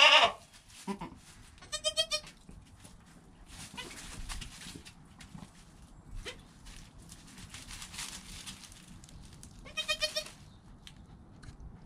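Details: Goat kid Joel, newborn and less than an hour old, with mother Penny nearby, recorded by GoPro: a loud bleat at the start, then two short quavering bleats spaced far apart over steady hiss and faint shuffling.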